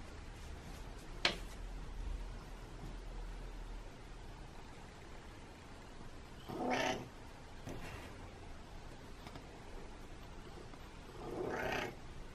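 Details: Indoor domestic cat asking to be let into a closed room. Two soft, wavering meows about five seconds apart follow a sharp click, over a steady low hum of room noise.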